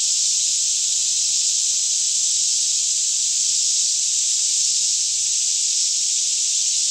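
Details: Many cicadas singing all around in a green Kentucky woodland near Franklin, mid-morning around 10am, still air, Canon 5D Mk2 recording; a constant bright hiss-like drone holds level throughout, with a quiet low-pitched hum below.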